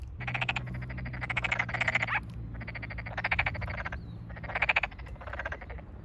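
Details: Tokyo Daruma pond frogs in a full chorus at freshly flooded rice fields in the satoyama countryside, 8 May 2022, some calling very close. Bursts of rapid, buzzy pulsed croaks last about half a second each, overlapping in clusters, with a low hum beneath.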